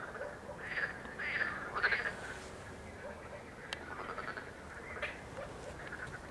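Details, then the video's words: Chorus of water frogs and marsh frogs recorded on 31 May 2021, opening with three loud, rasping croaks in quick succession, then continuing as fainter, irregular croaking over a murmuring background. "Rechot żab wodnych i ząb śmieszek"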